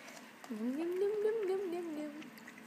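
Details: Choco, a 9-week-old Norwich Terrier puppy indoors, gives one drawn-out tonal howl lasting under two seconds. It rises at the start, holds a wavering middle and slowly falls away, with soft room noise around it.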